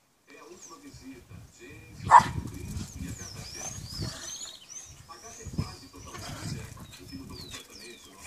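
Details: Shih Tzu mothers playing together at home as part of their daily routine; a single sharp yelp stands out amid low grumbling play noises, with small birds chirping in the background and people talking.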